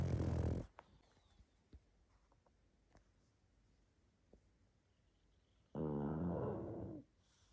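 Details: Pug asleep and snoring, two loud harsh buzzing snores roughly five seconds apart, each under a second or so long, with near silence and faint small clicks and sniffs in between.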